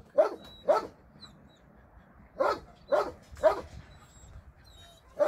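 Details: Abandoned dogs in a shelter, during a Sunday volunteer visit, bark in two crisp pairs separated by a pause, then a third close bark and one more at the end.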